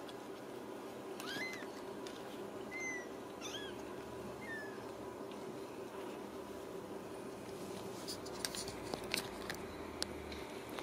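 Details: Ragdoll kittens raised in a home in central Kansas: a few short, high, thin mews with slight upward and downward bends, then soft clicks and rustling against constant indoor hum.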